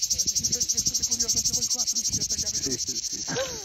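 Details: Cicada song: a loud, high, buzzing pulse repeated about four times per second in a steady rhythm, with a person talking in Italian underneath throughout.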